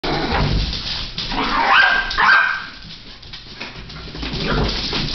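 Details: Two young puppies, Clare and Gus, at play in June: a couple of short yelping barks amid scuffling, growly noise and handling sounds.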